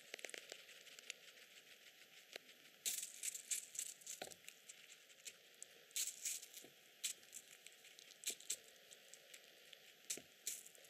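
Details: A male teddy guinea pig chews vegetables and fruit (shiso, strawberry, bean sprouts, prune, parsley, banana) with crisp, rapid crunches and crackles in quick irregular bursts; some stray background noise.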